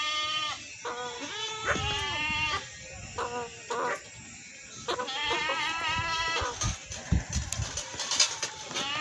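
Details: Goat bleating repeatedly in wavering, nasal, quavering bleats, some overlapping as if from more than one animal, with short gaps between; light rustling and background noise underneath.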